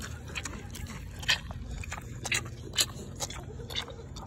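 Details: Mini pig smacking and chewing a snack: wet, crisp smacks and crunches repeating irregularly about once a second over a steady background hiss.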